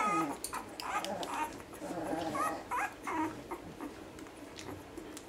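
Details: One-week-old Basset Hound puppies whimpering and squeaking indoors: a run of short, high, wavering whines and yips, some rising then falling, overlapping one another in quick succession with soft rustling between them.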